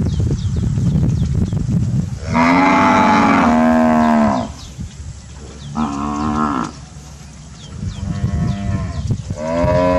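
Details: Grazing Brahman heifers of a Sabah breeding program lowing repeatedly: a long loud moo of about two seconds, then shorter, softer moos following at irregular intervals, over a low rumbling background.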